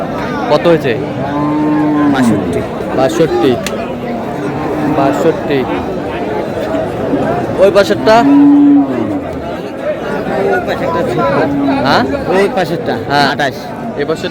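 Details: Lean cows at the Aftabganj cattle market on 25 July, lowing in drawn, low moos that recur every few seconds, some rising then falling, over steady crowd chatter and bargaining voices.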